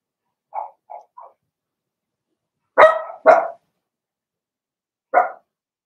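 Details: Three soft, small yips, then two loud, rough, explosive barks and one final bark from Blenheim Cavalier King Charles Spaniel puppies, a litter of six, in their pen.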